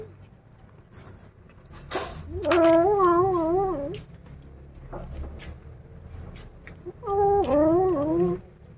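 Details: Two undulating, warbling yowls from kittens angry at being disturbed over a rat they are eating, each swelling and wavering for about a second and a half, with clicks and rustling between them.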